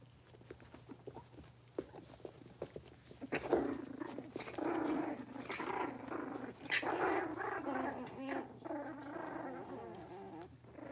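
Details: Blenheim Cavalier King Charles Spaniel puppies, a litter of five born at New Year's, in their home puppy pen as they move to a bigger pen. Quiet scuffling first, then sustained, wavering puppy growls and grumbles with a steady low hum underneath.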